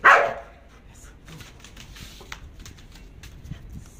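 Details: Belgian Malinois in obedience and guard training, taught to bark at a bite pad on command without attacking: a single loud bark opens, then faint rustling and a man talking quietly.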